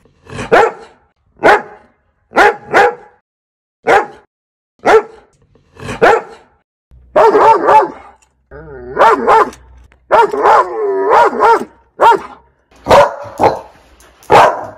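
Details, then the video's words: Domestic dog, one of fifteen breeds in a barking compilation, giving paired sharp barks about a second apart, with a stretch of longer, whining, wavering yelps mid-way before the clipped barks resume. "Dogs Barking Sounds Compilation"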